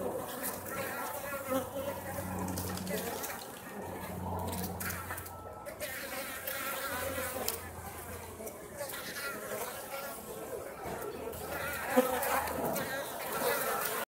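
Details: Overwintering Japanese honey bees leaving their nest at Osaka Castle to forage during warm late-autumn weather; a continuous, many-winged buzzing drone throughout, with a low intermittent hum coming and going underneath.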